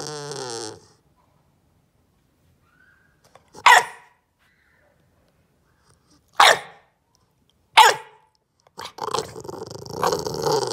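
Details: A bulldog puppy named Ollie demand-barks in protest after being told not to bite the couch corner, giving sharp, single barks spaced a couple of seconds apart.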